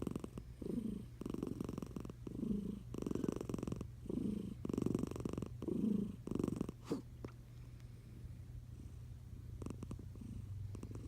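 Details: Eliza, a sleeping tiger cat under a blanket, snores in soft low rhythmic breaths, roughly six clear snore pulses in the first seven seconds, then quieter breathing with faint clicks and a quiet room hum.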